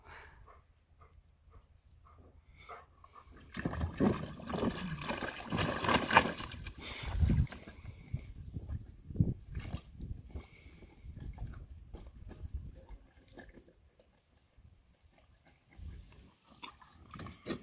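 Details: Evo, a German Shepherd, drinking water in 2024: wet, rhythmic lapping and splashing in uneven bursts, loudest and densest at first, then thinning to quieter, scattered laps toward the end.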